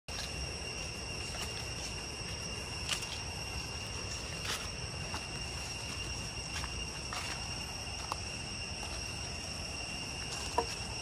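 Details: Cicadas in deep jungle on the way to Chhay Yong Waterfall, Areng area, Koh Kong Province, Cambodia, keep up a steady, high, ringing drone with a few faint clicks and rustles beneath.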